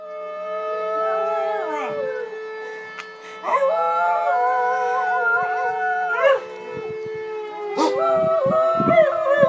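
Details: Whippets howling along with a siren during an alarm drill: wavering, harmonic howls rise and fall over a steady, droning siren tone, with a brief pause before the howling resumes, plus short clatters.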